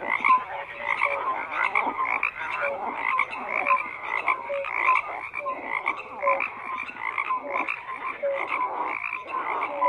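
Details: Dense chorus of frogs croaking together: overlapping rasping calls pulse steadily, with short clear tonal notes repeating about every second beneath the rattling mass, and no other sounds intruding.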